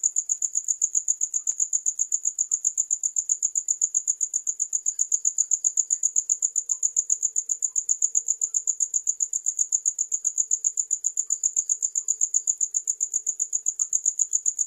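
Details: Shrill, monotonous cricket chirp, a thin high tone pulsed steadily about four times each second throughout, with a faint low murmur beneath it at times.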